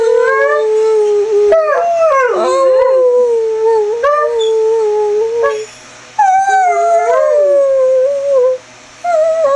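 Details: A pet greyhound performs its roo and whine combo: long, wavering, tonal howls that slide up and down, broken by brief pauses, with whiny bends between notes.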